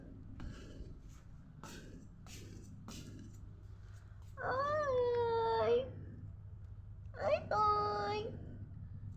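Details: Indoor cat gives two drawn-out, wavering meows a few seconds apart, the first bending down then up, the second sharper, after a stretch of soft clicks and rustling with a low hum in the room.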